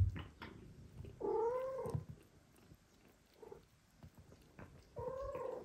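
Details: Household cat, with a mother cat no longer willing to nurse two foster kittens and a father cat stepping in; two drawn-out meows separated by quiet, over low rumbling background noise.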